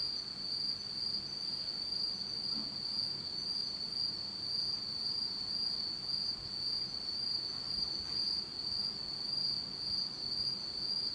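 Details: Night insects of a Japanese autumn calling in complete darkness, their unbroken high-pitched ringing trill running evenly through the whole recording without pauses.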